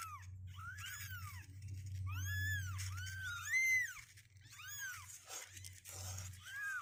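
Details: Two-week-old kittens at 16 days, restless and climbing out of their box, cry in a chorus of thin rising-then-falling mews that overlap in clusters, with a constant low electrical hum beneath.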